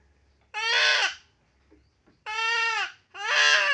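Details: Goat undergoing castration gives three strained, quavering bleats. The first stands alone, then a pause, then two come close together; each is loud, rich and harsh, lasting about half a second to three-quarters of a second.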